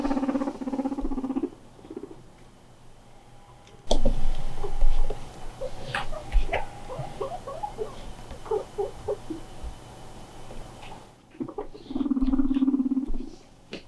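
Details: Pet guinea pig, kept with other guinea pigs, crying out of loneliness when left alone: low steady buzzy tones at the start and again near the end, with a burst of quick repeated chirping squeaks between them and faint household noise.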